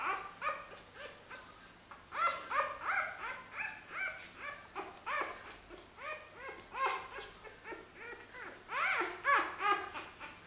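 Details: Xoloitzcuintli puppies from a first litter in Switzerland whimpering: many short, arching squeaky whines overlap in quick, irregular succession, several pups calling at once, with louder bursts around the middle and the end.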